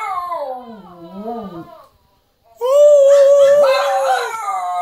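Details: Shih Tzu dogs howling indoors, recorded on a phone: a wavering, falling tonal howl, a short silence, then a higher, steady drawn-out howl with overlapping rising and falling voices.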